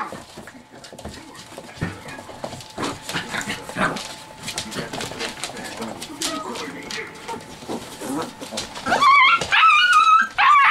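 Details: A litter of chocolate Lab puppies, seven weeks old, playing roughly: scattered scuffles and soft whines, then a run of loud, wavering high-pitched squeals near the end as the mayhem builds.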